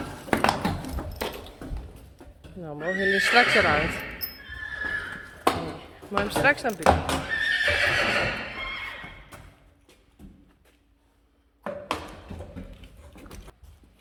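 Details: Friesian horses reunited in a meadow as Reintje and Minze Teije return to the herd; two long whinnies with quavering, wavering pitch that falls away, then near silence and a few knocks, speech faintly present.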